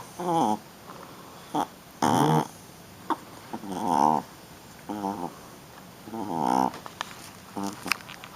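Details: Playing roughly, a female Shih Tzu puppy makes a run of brief, strained grumbles and squeaky whines in uneven bursts, about ten across eight seconds. A quiet human voice can be heard between them.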